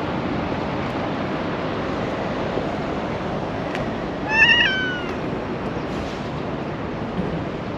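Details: Single clear meow from a black female cat with a tiny tail in Japan seeking affection, a short bright cry that bends downward, set against a continuous hissing background with faint clicks.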